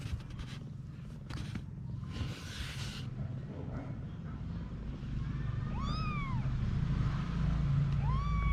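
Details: Mother cat Anna and her kittens: rustling and handling noise at first, then two clear arched meows near six and eight seconds, each rising then dropping, over a low hum.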